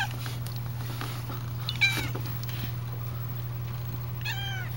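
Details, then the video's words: Young calico cat indoors, said to be trying to say "out" while wanting to go outside; a short rising-falling meow near the middle and another at the end, over a steady low hum, with a person telling her to wait. "Popcorn the Magic Talking Cat #39: Tries to Say "OUT""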